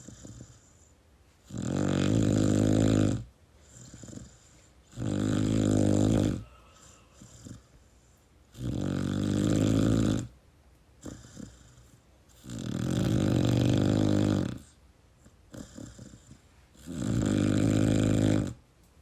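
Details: Pit Bull puppy snoring while asleep and cuddling with its owner: five long, loud, rasping snores, each about 1.5 seconds, roughly every 3 seconds, with quiet breathing between.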